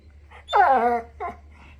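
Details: Pet pit bull under a sheet lets out a loud moaning, wail-like vocalisation that falls slightly in pitch, followed by a short softer grumble indoors.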